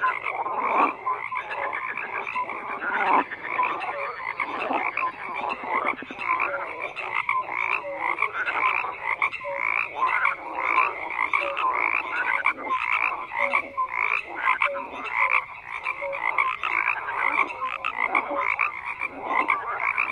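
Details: Continuous frog croaking from a crowded chorus, raspy pulsed calls and scattered short tonal notes overlapping throughout, with no other sounds standing out.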